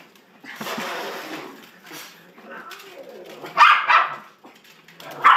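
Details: Dachshund named Sausage, urged on to "get the kitty": a few sharp, loud barks burst out near the end, following a stretch of a person's voice calling encouragement.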